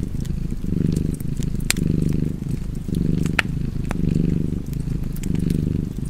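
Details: Purring cat, a soft throaty rumble rising and falling in regular pulses about once a second, accompanied by scattered fireplace crackles and occasional sharp pops.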